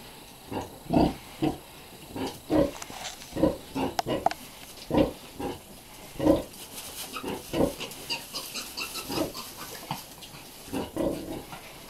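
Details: Hampshire x Pietrain weaner piglets, bred from a Hampshire cross sow and a pedigree Pietrain boar, grunting steadily in short, low, rhythmic oinks about twice a second, with a background hiss throughout.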